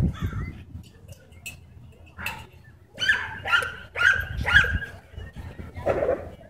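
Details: Dogs playing at a dog park, where a Husky and a German Shepherd chase a German Shorthaired Pointer; a run of four sharp, harsh barks about half a second apart, with fainter yelps, background voices and low outdoor rumble.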